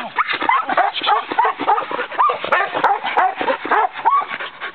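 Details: Herding dog of the Australian Cattle Dog breed letting out quick strings of sharp barks and squeaky rising yips, several a second, with a constant buzzy chatter underneath.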